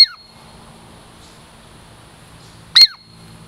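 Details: Douglas squirrel from the Puget Sound lowlands, a female pet approaching for food, lets out a single loud, high, sweeping squeak near the end after a brief trailing note at the start, amid faint background hiss.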